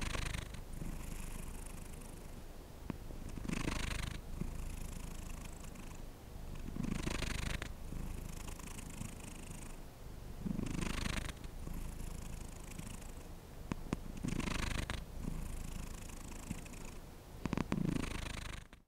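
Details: Pet cat purring continuously indoors, a deep throbbing rumble rising and falling with each breath about every two seconds, a small knock near the end.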